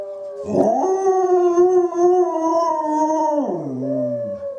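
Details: Izzie, a dog howling back at wolves, breaks into a strong, even howl held almost three seconds with layered voices, then drops in pitch to a lower, quieter tail.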